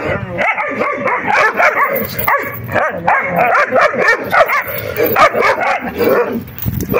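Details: During puppy play fighting, repeated high yaps and yelps come in quick succession, with whiny rising notes mixed in and a short quieter pause near the end.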